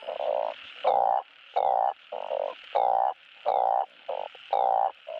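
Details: Balloon frogs calling for mates, played at a Thai frog farm to encourage breeding: loud, nasal croaks about a second long, several overlapping callers alternating in a steady chorus.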